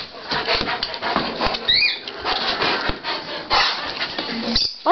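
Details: Pet dog Troy, worked up about going for a walk, gives excited high whines and short yelps, including a thin rising squeal midway, while a person keeps talking over him in a small room.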